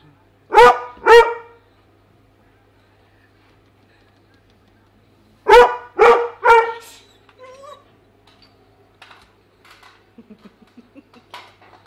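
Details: Pet Weimaraner dog trying to get at the fish in a tank: two sharp harmonic barks, a pause of about four seconds, then three more barks followed by softer rising whines and faint scattered clicks.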